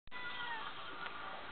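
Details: Domestic cat meowing indoors: one sustained harmonic meow lasting well over a second, fairly steady with a slight rise, ending in a brief click.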